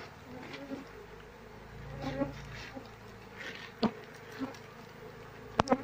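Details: Queenless Asian honey bee colony humming steadily, a low buzzing tone with clear overtones that swells slightly and fades, punctuated by sharp clicks and taps as the honey-filled, larva-free combs are handled.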